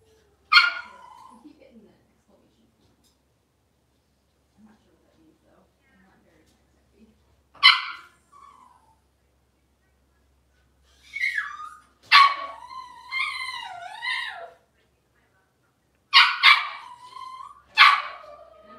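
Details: Blenheim Cavalier King Charles Spaniel puppies, a litter of five born at New Year, in a puppy pen after moving to the big pen: sharp high yips and barks in bursts, one drawn into a wavering whine, with quiet gaps between.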